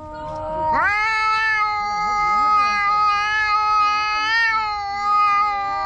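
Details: Two black stray cats in a park in a loud quarrel; one yowl jumps sharply upward, then holds a long, steady, whining wail with slight wavering, while softer wavy low calls flutter beneath.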